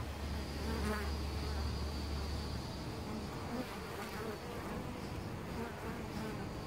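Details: Many European honey bees buzzing at their nest inside a tree hole in Costanera Sur Ecological Reserve, recorded close up; steady, deep collective hum with flybys of single bees rising briefly above it.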